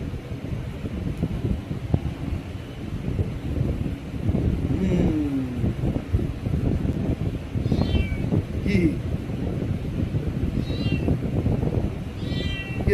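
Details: Kitten crying to its owner as if demanding something after being given fish; several short falling meows scattered through, alternating with a man's Bengali talk and a constant low rumble.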